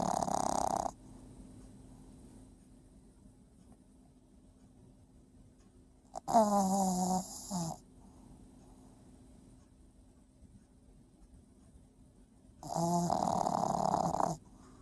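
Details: Small sleeping dog named Princess, the loudest sleeper on the shared bed, snoring in three heavy bursts roughly six seconds apart, each a coarse, rattling drone lasting one to two seconds, separated by near silence.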